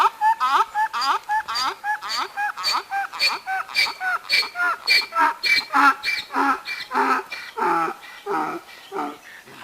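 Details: A tied-up working donkey, later to carry straw and wheat, brays in a long rhythmic run of harsh, harmonic calls about twice a second. The calls grow broader and lower toward the end, with a light wind in the background.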